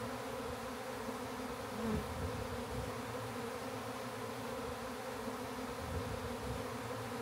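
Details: Backyard honey bee swarm during capture into a hive: an unbroken, droning buzz of many bees, constant in pitch and loudness, with a brief slightly louder moment near the two-second mark.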